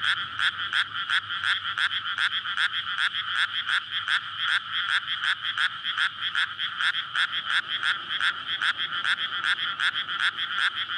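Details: Courting frogs fill a flooded rice field near homes on a May night ahead of planting; a long, unbroken run of rapid rhythmic croaks, roughly two or three per second, with a constant high trill beneath.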